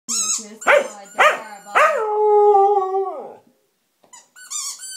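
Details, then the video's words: Blizzard, a pet Samoyed, howls at his squeaky toy: a few yelping barks, then a long, steady, mid-pitched howl that slides downward and fades, followed by high thin squeaks from the toy. "Samoyed Howling"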